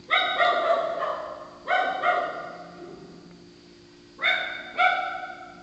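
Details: A female dog gives sea lion-like barking at night: two pairs of loud, honking, harmonic barks, each bark trailing off, with a quiet gap between the pairs and a faint constant hum underneath.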